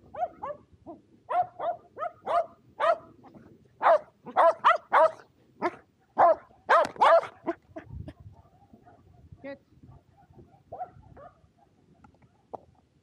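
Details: Excited barking from two Shetland Sheepdogs, Power and Beat, playing frisbee on a sunny 23 February 2022 in Japan; rapid, uneven volleys of loud yapping barks, densest in the middle, fading to scattered yips.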